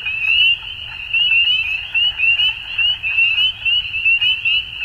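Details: Spring dusk frog chorus from Ontario, Canada: countless shrill upslurred peeps stacked into a continuous high ringing, with louder bursts pulsing several times a second against soft low background noise.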